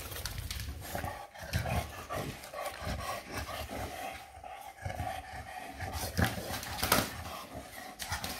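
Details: Eva, a Shar pei, plays wildly: repeated low throaty growls pulse about once a second alongside heavy panting, with scraping and clattering noises from the tussle.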